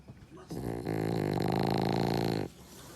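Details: French Bulldog deep asleep with its eyes half open, letting out a single loud snore of about two seconds: a coarse, buzzing, fluttering rasp that begins suddenly and stops cleanly, indoors quiet otherwise.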